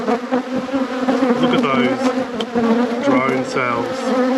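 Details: Dense honey bee hum at a beekeeper's hives: an even, loud drone with a clear steady tone, and a few bees whining past with sweeping pitch changes.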